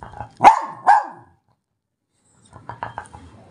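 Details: A pet German Spitz indoors, scolded by a woman for getting down from the bed, gives two sharp, loud barks about half a second apart, then falls silent while quiet human speech follows.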